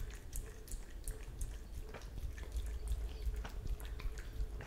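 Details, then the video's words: Italian Greyhound, a pet dog at home, drinking milk indoors, picked up on a Blue Yeti microphone: soft, wet lapping clicks repeating about three times a second, quiet and steady over a low room hum. "Dog drinking milk Italian Greyhound drinking"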